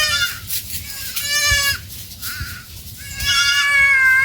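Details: A goat from a family herd eating in the forest, described as lost, gives long, wavering, nasal bleats, two drawn-out calls with a brief pause between.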